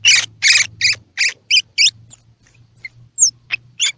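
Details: Baby squirrel call used to stimulate baby squirrels, both with eyes open and still closed, to eat: a rapid series of high, squeaky chirps, about three per second, mixed with thin, very high whistled notes.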